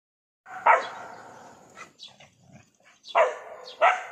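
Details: Dog that has found a lizard it cannot catch, giving a few short sharp barks at the start and two more near the end, with quiet gaps between.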